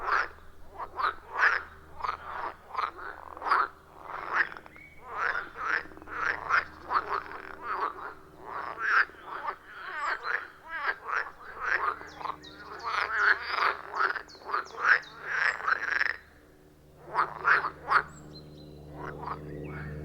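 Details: Chorus of frogs around a wild pond deep in a forest, iPhone 14 Pro with Shure MV88+ microphone; rapid, rhythmic croaking from many callers, pulses tumbling together, with a brief lull near the end before calling resumes.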